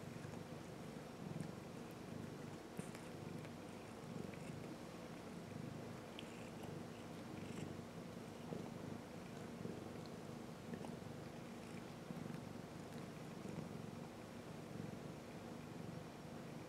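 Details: Kittens purring through the whole stretch, a low, rough, continuous rumble with soft rhythmic pulsing, over a steady quiet background hum.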